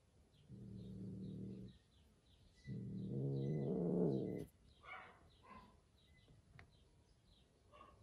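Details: Domestic cat among kittens Johnny, Joe and Jack, who hide in a box while the big cat Street keeps them from coming out: two low, rough, drawn-out moaning growls of about a second each, with faint bird chirps and rustling afterwards.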